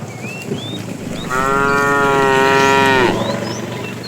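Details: Tame, fat male cow calling the female while the herd is driven in the afternoon; a steady, level, deep moo held nearly two seconds before dropping off, with faint bird chirps around it.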